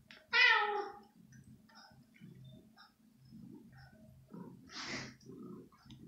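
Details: Hungry domestic kitten, female, indoors at night, jumping for chicken pieces; one loud harmonic meow near the start, then soft rustles, a faint breathy second cry around five seconds and low room noise.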